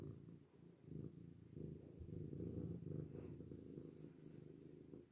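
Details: Cat in a washbasin purring loudly and steadily; a low, throbbing rumble with rapid fine pulses and broader swells of loudness every second or so, nothing else clearly heard.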